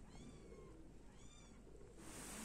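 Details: A pet cat named Tushi Moni, playing mischievously with its mother, gives two soft, thin meows with a gently falling pitch, spaced about a second apart, over a low indoor hum and a brief rustle at the end.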